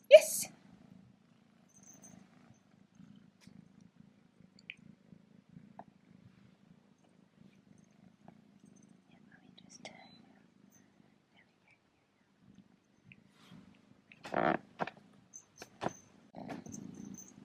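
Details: Young male kitten purring indoors while getting used to his first collar, which has a bow and a bell: a soft, steady low rumble lasting about eleven seconds, followed by a few brief louder rustles and clicks near the end.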